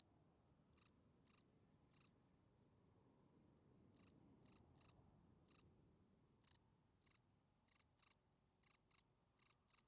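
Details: Field cricket at night giving sparse, sharp high chirps, singly and in pairs with uneven gaps, over a soft low background hum.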